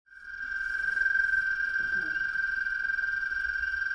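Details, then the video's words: An American toad (Anaxyrus americanus, formerly Bufo americanus), found statewide in West Virginia, gives its call: a long, steady, musical trill on a single sustained pitch. "And here is the call of an American toad."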